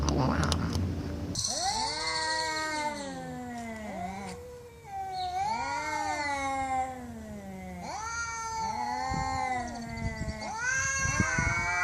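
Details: Cats caterwauling loudly, long drawn-out wailing meows that waver up and down and overlap one another, a few seconds each, in a nearly continuous chorus.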